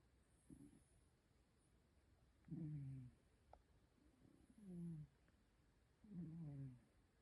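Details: Cat asleep and snoring heavily, heard more softly here as four low, throaty rasping breaths spaced one to two seconds apart, set against a steady low background rumble and hiss.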